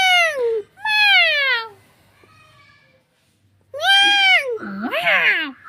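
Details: Cat meowing indoors: several drawn-out, harmonic meows that rise and then fall, with a pause between them, followed by a shorter, lower, wavering call.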